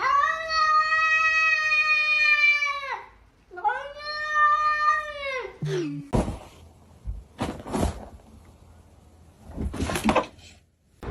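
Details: Pet cat, a little one that keeps biting a phone and fingers, giving two long drawn-out meows of steady pitch, each held about three seconds with a short pause between. Then come people's voices and clattering household sounds.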